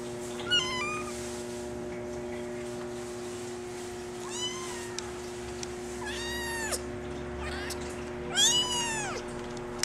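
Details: A female Maine Coon kitten, brown mackerel tabby and white, born July 17, mews five times at uneven intervals. The calls are short, high and arching, and the last is loudest. A low room hum runs underneath.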